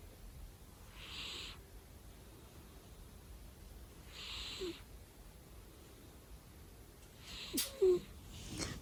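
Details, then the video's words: Pet cat snoring loudly: soft, breathy rasping exhalations recur roughly every three seconds over a quiet indoor background, with a brief sharper click and rustle near the end. "Snoring so Loud Part 2 | CAT VLOG #27"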